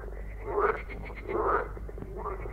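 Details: A marsh frog gives three rattling, pulsed croaks, each under half a second, roughly every 0.8 seconds over a steady low hum; males call using vocal sacs on both sides of the head to attract females.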